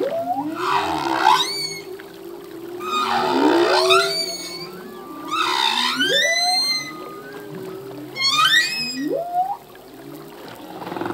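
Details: Male humpback whale song, full-length recording: repeated phrases of rising harmonic whoops sweeping up to high squeals, each surge lasting about a second, over a steady low moaning tone near the bottom.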